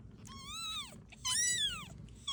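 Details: Domestic cat, a mother carrying her newborn kitten, found while out and about: two drawn-out, high, arching meows, the second louder and more strained, over faint low background rumble.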